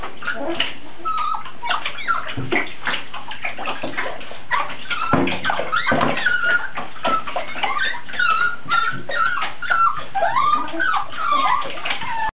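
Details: Several puppies playing in a bathtub at a dog adoption shelter, giving high whimpers and yips that rise and fall repeatedly over splashing, sloshing water.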